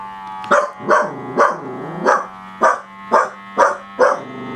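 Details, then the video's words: During a toe massage a Dachshund barks rapidly, eight short yapping barks roughly every half second, with low whining groans between the early ones. "닥스훈트 멍멍"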